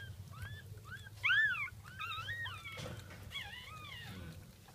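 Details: Jack Russell Terrier at the birth of a second puppy, 5:35 am on 17 October 2014: a run of short, high, arching whimpers and squeaks, one louder bending cry in the middle, over a low indoor hum.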